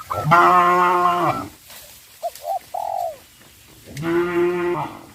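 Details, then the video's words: Cows on a traditional village farm, running in fear into the forest: two long, steady, hoarse moos about a second each, with brief higher calls in the gap between them. "sound of cows"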